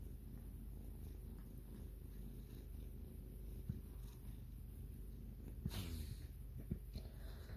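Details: White kitten purring while grooming its owner, a steady low rumbling purr running unbroken throughout, with a brief rustling sound near the end.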